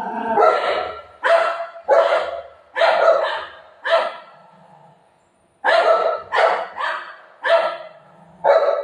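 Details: Golden retriever dog barking while playing with its owner at home: loud, sharp barks in quick bursts of about one per half second, a pause of nearly two seconds, then another run of barks.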